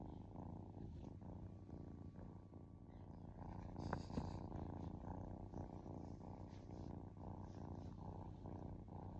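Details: Relaxing kitten keeps up a soft, gravelly purr in a low register, pulsing with its breathing, with a short faint higher squeak or rustle heard partway through.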